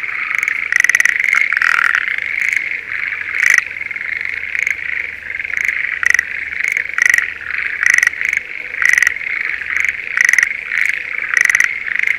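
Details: Schlegel's green tree frogs in breeding season, calling from a spring rice paddy near Sendai, Japan: short pulsed, rattling bursts repeated about once a second over a steady chorus of other frogs, with a faint low hum underneath.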